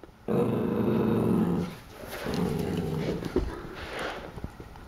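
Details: Pool Noodle, a corgi puppy startled by a corgi mug, holds a sustained low rumbling growl that fades and returns, with faint clicks and room noise behind it.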